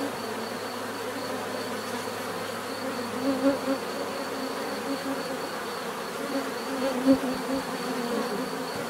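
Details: Bees hum steadily as a mass, with single insects buzzing louder as they pass near around the middle and end.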